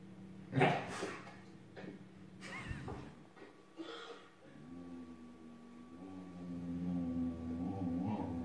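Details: Belgian Shepherd Groenendael, jealous and grumpy, growling indoors at a Husky for not sharing the couch with her: a drawn-out low harmonic rumble that wavers and swells for about four seconds, following a person's repeated questioning speech.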